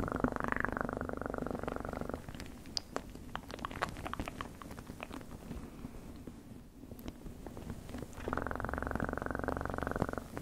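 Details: Close, buzzy cat purring at the start and again near the end, with a quieter middle stretch of scattered clicks and soft rubbing noises.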